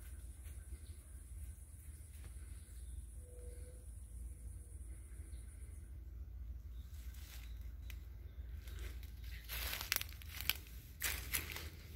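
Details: No animal voice, only a low steady rumble with dry rustling and crackling bursts toward the end.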